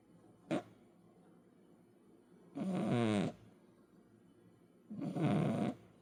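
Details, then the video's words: Snoring from a heavy 10 kg cat: a short snort, then two long rattling breaths about two and a half seconds apart, with wavering low tones under a breathy hiss. "10키로 고양이의 코골이"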